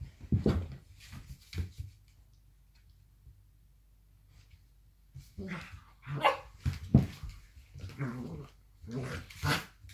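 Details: Two blue roan working cocker spaniels play fighting: a gruff bark-growl opens, a few short snarls follow, then after a pause a burst of rapid growling barks and snarls near the end.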